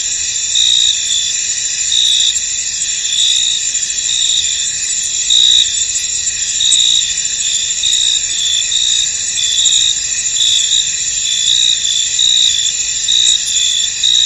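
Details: A dense chorus of crickets in a misty, foggy field trills steadily, high-pitched and continuous, with pulsing chirps.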